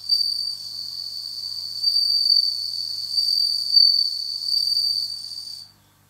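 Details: A captive bell cricket, kept in autumn, sings a clear, high, ringing trill that holds steady for several seconds.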